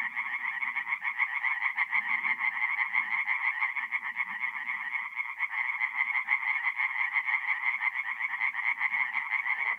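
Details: Night chorus of tree frogs at a forest pond, North-East Italy, mid-April; fast rattling croaks pour out continuously from many frogs at once, unbroken for the whole stretch, faint low rumbles beneath.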